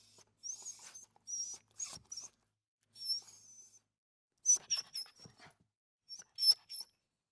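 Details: Small dog whimpering indoors: thin, very high squeaky whines in short bursts, some gliding slightly, grouped in clusters with quiet gaps between them.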